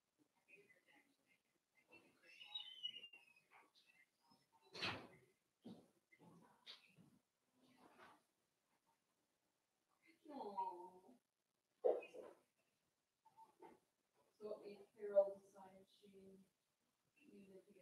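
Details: Daisy's four-week-old Cavalier King Charles Spaniel puppies in their indoor pen. Scattered soft whimpers and a high, rising-then-falling whine come first, then lower, grunting yelps at irregular intervals in a quiet room, with one sharp knock.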